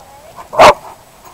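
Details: Irish Wolfhound and Mastiff named Quidam and Gunther at play; a single loud, sharp bark bursts out in the middle of a quiet moment, with a person shouting encouragement right after.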